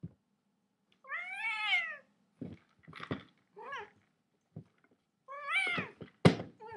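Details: A cat meows repeatedly indoors, several drawn-out wavering meows about a second long with rich harmonics, separated by short clicks and thuds, with a final sharp knock.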